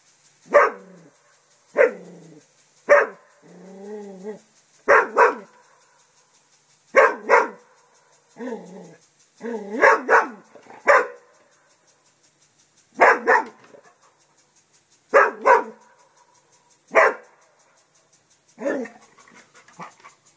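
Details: English Springer Spaniel Festus protecting the house from a turtle: a long run of loud barks, often in pairs, mixed with drawn-out growling whines and short pauses throughout.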